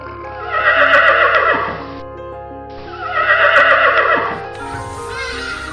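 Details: Horse neighing twice, each whinny a harmonic burst of about one and a half seconds with a quivering, shaky texture, separated by a short gap, over steady background music throughout.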